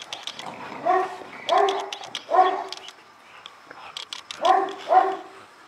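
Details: Barking of an Illyrian Shepherd, a livestock guard dog of Albanian lands, with three full-throated barks about a second apart, a gap, then two more close together, and faint higher barks from other dogs.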